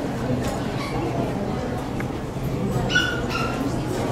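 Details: Poodle at the Saitama Nishi Honey Poodle Club show on 9 June 2008, with dogs named Hyuma and Magic; Magic was too taken with other dogs to walk. Four short, high yelping whines rise over steady indoor crowd chatter and voices.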